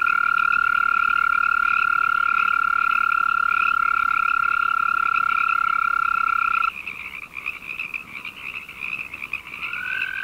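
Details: Arroyo toad (Bufo microscaphus californicus) mating call: a steady, high, even trill held for nearly seven seconds, breaking off abruptly, then a new trill beginning near the end over a continuous buzzing chorus band above it.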